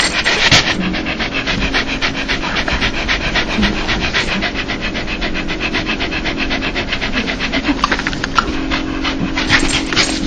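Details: Dog making its happy, joyful 'laugh' sound: rapid breathy panting pulses, roughly four a second, steady and unbroken, over a faint constant low hum.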